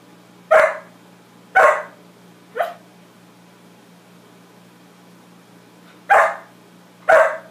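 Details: Max, a pet dog, barking at his own reflection indoors: five sharp, loud barks in irregular bursts, three in quick succession then a pause before two more, over a steady low electrical hum.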